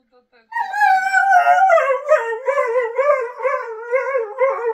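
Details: Border Collie dog 'talking': a sustained, howl-like whine that opens high, slides lower after about a second, then wavers up and down in a rhythmic, speech-like warble for roughly four seconds.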